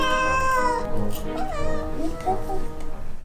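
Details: Cat voicing 'kkyang kkyang' complaints while its paw fur is cut. It begins with a sustained meow, then short wavering cries blend with background music and a person's voice.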